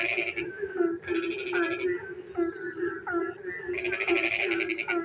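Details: Night-time frog chorus in the rain, with a continuous low hum of many callers beneath harsh buzzing pulsed bursts at the start, around one second and near the end, plus short bent, whining notes in the gaps.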